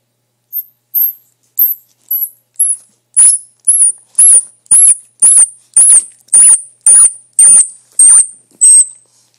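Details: Baby squirrel crying, later raised and released back into the wild: a steady series of very high, thin squeaks, each sliding slightly downward, repeated about twice a second and growing louder after the first few, with a silent background.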